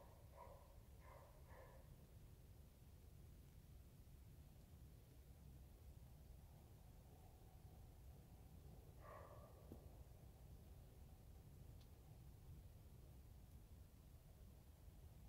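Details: Roe deer (Capreolus capreolus), bark.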